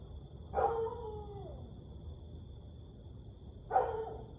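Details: Siberian Husky howling at night, 1:49am on 30 May 2021: two short howls, the first sliding downward for about a second, the second a brief yelp-like burst, with a steady high electronic whine and low background hum.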